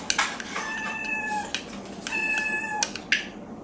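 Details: Miyu, a female kitten aged four months, meows while her breakfast is being prepared each morning; two long steady meows in quick succession, each ending in a slight drop, with dish clinks and knocks around them.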